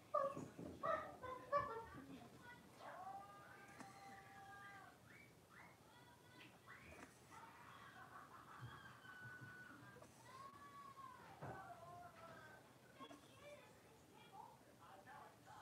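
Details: Playing in their indoor pen, a litter of five blenheim Cavalier King Charles Spaniel puppies born at New Year: a few sharp yips open, then long drawn-out tonal whines, some arching up and down, repeated with short pauses.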